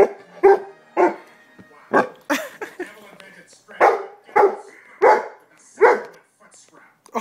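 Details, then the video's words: A pet dog argues back at its owner after being told off for sitting on them, giving drawn-out, moaning howl-barks in bursts about every half second to second, mixed with the owner's speech. "My dog arguing with me"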